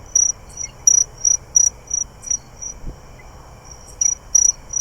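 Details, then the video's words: A greater angle-wing katydid calls from directly overhead in trees in August, short, high, buzzy bursts at uneven intervals, amid other katydids, crickets and Eastern gray treefrogs. "Can you hear this greater anglewing? It's actually right above me."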